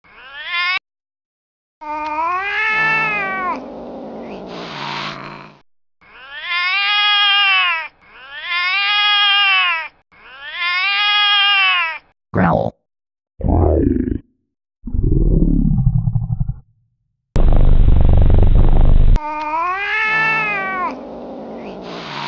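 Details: Domestic cat attacking her kitten, loud drawn-out yowling wails with rising and falling pitch repeated in long bursts, then harsh noisy hisses and short growly blasts before another yowl.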